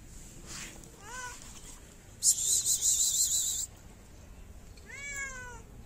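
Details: Wary street cat in Morocco asking for food: two drawn-out meows, a short upswept one and a longer rising-then-falling call, separated by a loud rustling burst of noise.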